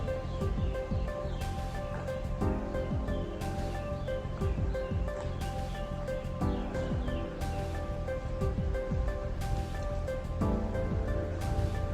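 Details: Steady instrumental music with sustained chords changing every couple of seconds, and no animal voice.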